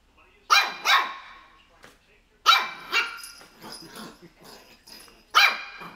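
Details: Shih Tzu puppy, three months old, yapping at a pair of crocs, giving a double bark, then a longer bark trailing into softer yips and a final sharp bark.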